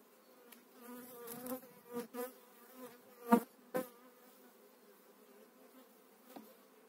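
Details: Honey bees from eight frames being moved into a new hive in spring 2018; a constant humming drone with several loud thumps and frame-handling knocks in the first four seconds, then a quieter, even buzz.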